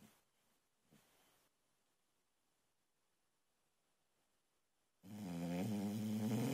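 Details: ['Female boxer puppy asleep: faint soft breaths, then a sudden loud, vibrating snore that rises in intensity and carries on to the end.']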